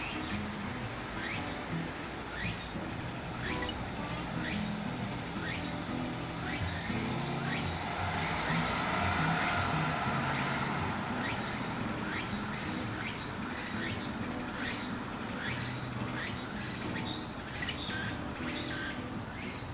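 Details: Walker's cicada (Meimuna opalifera), a late-summer to early-autumn cicada whose song signals the arrival of autumn. Rhythmic pulsed phrases repeat about three times a second, with curved sweeps rising through a steady broad hiss and low rumbling noise.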